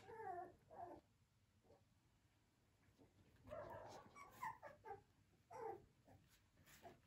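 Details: Liver-coloured male Flat-Coated Retriever puppy whimpering indoors: soft, high, quavering whines in short bursts separated by quiet pauses, faint and close to the room's background hiss.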